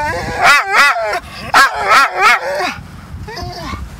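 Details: At the beach, a dog resists being taken home after fetch, letting out rapid, bending, yodel-like whine-barks in two clusters, then a softer fading whimper near the end.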